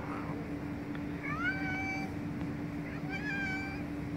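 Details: Cats trying to get a sausage out of a plastic bottle; two short rising-then-falling meows about two seconds apart over a steady low hum, a person speaking briefly afterward.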